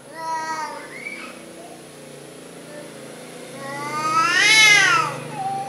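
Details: Cowardly orange cat meowing: a brief meow at the outset, then a long, strained, arching meow building to a loud, high peak before fading; low hum beneath and a spoken word right after.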